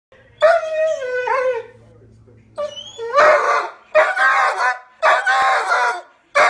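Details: A female poodle screams for her deer friends with long, wavering, high-pitched howls. Quiet pauses separate the drawn-out cries, and each cry rises and falls in pitch.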